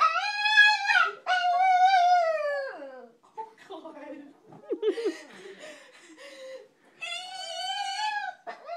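A Pekingese 'talks' in long, wavering, yodel-like howls as a person speaks to it in between.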